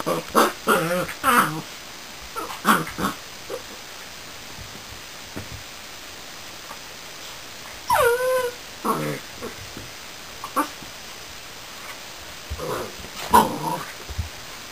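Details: Border Collie puppy named Reb, newly arrived: whining whimpers and short yips with harmonic, wavering tones in bursts, the longest a drawn-out whine around the middle, separated by quiet gaps; faint indoor room noise.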